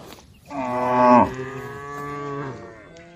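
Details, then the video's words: A tame cow from a herd being called on the road gives one long moo, loud and rising briefly, then fading into a steady drawn-out tone for about two seconds. "funny cow sounds, the sound of calling a herd of tame cows on the road"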